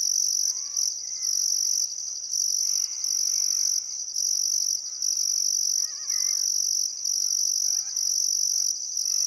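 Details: Crickets chirping on a still summer afternoon at sunset beside the Barcoo River, Welford National Park, Outback Queensland, Australia: a high, continuous shrill trill in long bursts broken by short gaps, with faint warbling birdcalls beneath.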